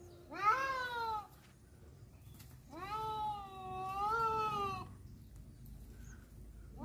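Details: Cats fighting over a female: a rising then falling yowl followed by a longer wavering caterwaul of two seconds, harmonics stacked high, another cry beginning at the end.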